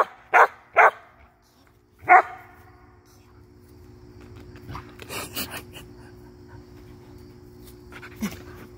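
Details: Samoyed at play chasing and jumping for bubbles, three quick sharp barks in the first two seconds, then quieter rustling and faint voices with one last soft yelp near the end.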